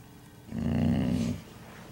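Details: Koba the dog, displeased with the camera, lets out one short, low, rumbling growl of under a second, rough and throaty, with quiet background before and after.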